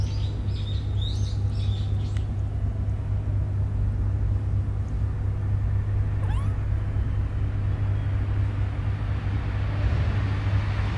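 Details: Newborn stray kittens lying in a homeless person's bed give a quick cluster of thin, high-pitched mews in the first two seconds and one more short cry midway, all over a steady deep engine-like rumble.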